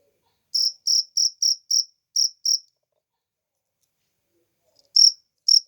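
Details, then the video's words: Cricket in nature giving seven high chirps in quick succession, a short pause, two more, a silent stretch of two seconds, then two final chirps. "suara jangkrik alam"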